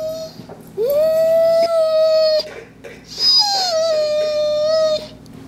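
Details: Kingsley, a dog cared for by HART All Breed Dog rescue, sings and whines: two drawn-out tonal notes, the first rising then holding steady, the second starting high and gliding down before levelling off.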